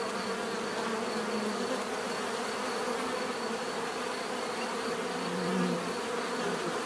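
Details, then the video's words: Steady swarm of buzzing bees, a constant humming drone with one bee briefly swelling louder near the end as it passes close. "bees therapy relaxing natural buzzing sound"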